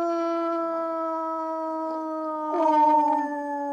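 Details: A pet dog howls on a couch while its earlier recorded howling is played back. The note is long, steady and slightly falling, with rich overtones, and grows a bit louder and wavers near the end.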